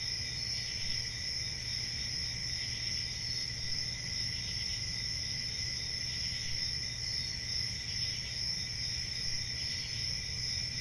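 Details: Crickets keep up a dense, unbroken high trill with faint ripples of brighter chirps over a constant low drone.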